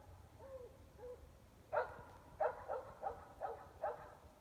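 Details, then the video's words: Distant dogs barking at night in Gem County, Idaho, 400 feet away and largely indoors; two soft whining notes, then a run of five evenly spaced barks against a low background rumble. "3+ Hours of Barking Dogs"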